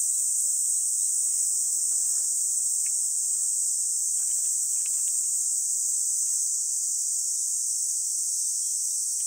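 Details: Cicadas keep up a steady, high, hissing drone without a break in the summer grass of Songi-do island, recorded 11 July 2022 at 10:15 am.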